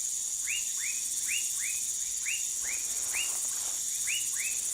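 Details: Dwarf tree frog (Dendropsophus nanus) in Manaus, Amazonas, Brazil: short high chirps, each arching up then dropping. They come about ten times in under five seconds, often in close pairs, over a steady shrill insect drone.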